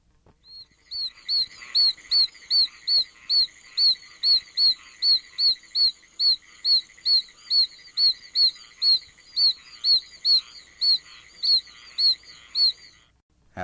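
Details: Oak toads (Bufo quercicus), North America's smallest toad at scarcely over an inch, give the highest-pitched voice of all, high chick-like peeps sweeping upward to about 5,200 cycles per second, repeated rapidly over a steady background trill.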